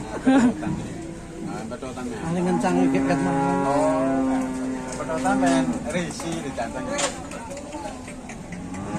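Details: Agitated cattle in Indonesia: a sustained low, even bellow of about three seconds rises amid shouting voices and clattering noise.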